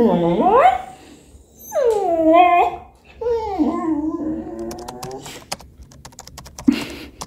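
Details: English Cocker Spaniel Robby, talkative and impatient, demands attention indoors on 18 September 2022 while his owner works at home: three expressive whining yowls, rising then bending down like speech, followed by soft clicks and a brief final yelp.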